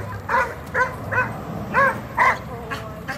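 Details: Reactive dog in training in Georgia, giving about six sharp, clear barks in just over three seconds, spaced unevenly, over a low background hum.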